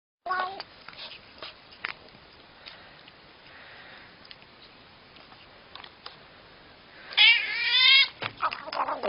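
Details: Cat making funny noises indoors: after quiet rustling, a loud drawn-out meow with wavering pitch near the end, followed by a shorter rising meow.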